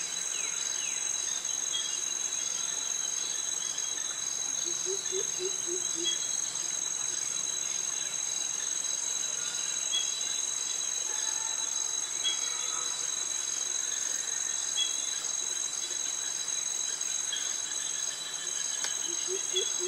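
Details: Dense, constant high-pitched buzzing from cicadas and crickets sounds through tropical forest and mangroves in Krabi, Thailand, the males calling for mates. Short clusters of low hollow notes occur around five seconds and again at the end.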